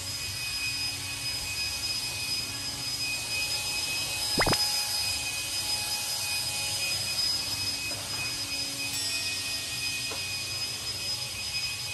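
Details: Steady broadband hiss with faint tonal hum lines throughout and a single sharp click near the middle; no animal voice is heard.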